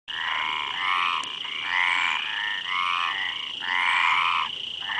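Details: Frogs calling together in a dense chorus: rattling, pulsed croaks that rise and fall in overlapping bursts about a second long, over a steady high-pitched whine that runs the whole time.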